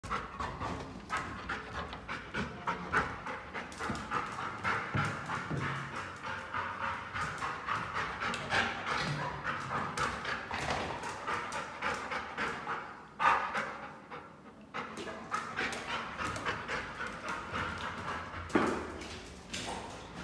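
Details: Labrador Retriever on a morning walk, panting steadily with fast, regular breathy pulses throughout, one louder rasping breath around the middle and faint background music.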